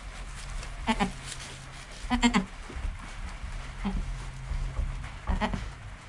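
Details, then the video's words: A goat kid named Joel, born under an hour earlier, with his mother Penny calm beside him, recorded by GoPro: four short quavering bleats, roughly every one to two seconds, some doubled, over a low steady hum. "4K Baby Goat - One Hour Sound and Video"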